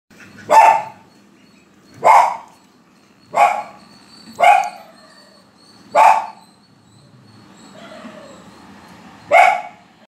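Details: Lhasa Apso puppies, active and playful, giving short sharp barks about every one to one and a half seconds, six barks in all with a pause near the end.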